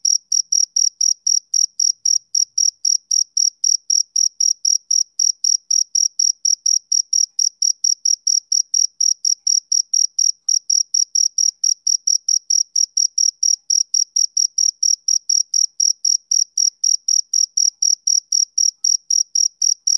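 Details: Male cricket chirping in an unbroken, high-pitched series of short pulses, about four per second, steady for the whole stretch with no other sounds.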